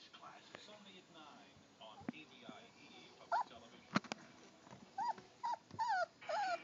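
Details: Three-week-old German Shorthaired Pointer puppies playing indoors; short high whimpers and squeals, several arching up and down in quick succession toward the end, over a background of soft voices and shuffling.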